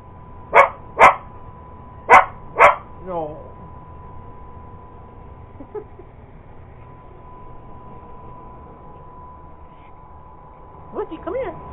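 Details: Purebred Cocker Spaniel chasing an iRobot Roomba robot vacuum at home: four sharp barks in quick pairs within the first three seconds, then quiet, followed by a woman speaking commands to the dog.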